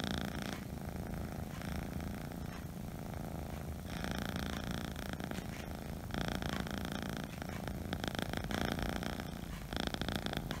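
A Scottish Fold kitten purrs steadily, a low rumbling throb filling the whole stretch.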